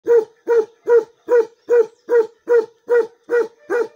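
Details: Bakarwal dog, a guard dog breed, giving a steady run of deep, resonant barks, about ten evenly spaced barks in four seconds, each a short harmonic burst, with no other sounds heard.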